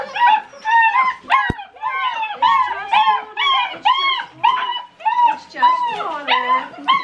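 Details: Several six-week-old Great Dane puppies during their first bath, unhappy about it: a steady run of high, arching whines and yelps, about two per second, overlapping from different pups, with a woman talking to them softly.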